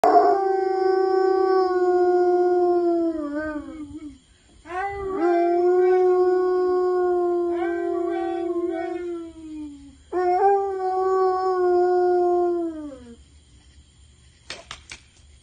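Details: A Dobermann "singing" to his owners howls in long, steady tones that waver and fall off at the end of each breath; Dobermann.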